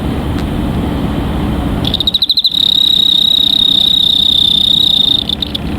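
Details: Cricket starting up with a few stuttering pulses, then holding a sustained, high, even trill for about three seconds, with low rumbling noise beneath.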